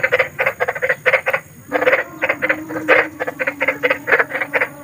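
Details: Large frogs calling at night in nature, a fast train of short raspy croaks, about three per second, with a brief pause and a faint steady tone behind.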